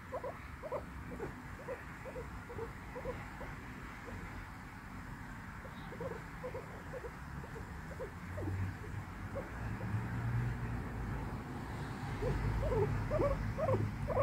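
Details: Guinea pig giving soft, short squeaky notes, "pui pui", repeated roughly twice a second in uneven runs, with a few brief pauses; a low rumbling background grows louder toward the end.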